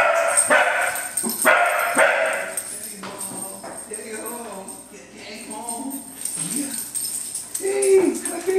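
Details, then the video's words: Three excited wire-haired dachshunds greet their owner arriving home and lick his lips. The clip opens with sharp barks, then high, wavering whines and whimpers overlap with a man's voice praising the dogs. "dog greeting with kisses"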